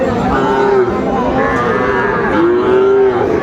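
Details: Sahiwal bull at a cattle market in Chapainawabganj, Bangladesh, among a group of ten young bulls being priced, gives drawn-out lowing moos, a long one near the start and another toward the end, over steady crowd chatter and men talking.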